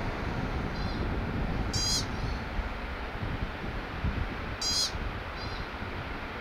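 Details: American pika calling: two sharp, high, short eep notes about three seconds apart, each a bright stacked burst, with fainter echoing chirps around them over steady low rumbling wind noise.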